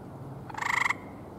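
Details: Gray treefrog at a little pond in Michigan in spring, one of eleven seen on a day of perfect weather: a single short, pulsed musical trill lasting under half a second, rapid beats at an even pace, over quiet background hiss.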